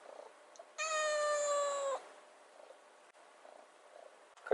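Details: Kitten rescued 96 days earlier, begging for wet food by the fridge, lets out one loud, steady, bright meow lasting just over a second, with quiet room noise around it.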